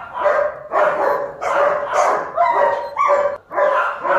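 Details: Nearly continuous chorus of overlapping puppy barks from German Shepherd pups at Zondiram Kennel, high yaps repeating roughly twice a second with only brief gaps.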